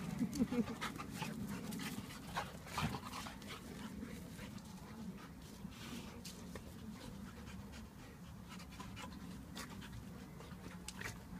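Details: One-year-old Labrador pup Myla play-fighting in a garden with Blade, a Japanese Akita; rapid, irregular breathy panting bursts over a low steady rumble, with a louder scuffle in the opening seconds.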